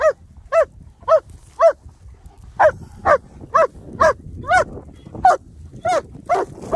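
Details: German Shepherds Nico and Zeeva, wet and muddy from play on a Sunday, give a steady run of sharp, mid-pitched barks, about thirteen in under seven seconds, spaced roughly half a second apart, with a low background rumble.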